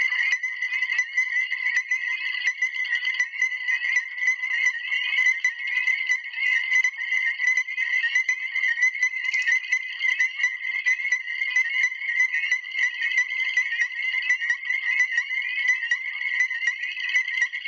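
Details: Illinois chorus frog. Illinois chorus frogs call together in a thick, continuous chorus of high, birdlike peeps. The notes overlap into a steady ringing wall of sound as males call to attract mates.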